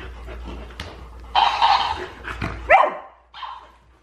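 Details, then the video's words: Pet Golden Retriever at home, quarrelling with the family's hamster as things get a little out of control: harsh, noisy bark bursts, then a sharp rising whine-like yelp and a softer short bark near the end. "我家金毛和仓鼠吵起来了 场面有点失控"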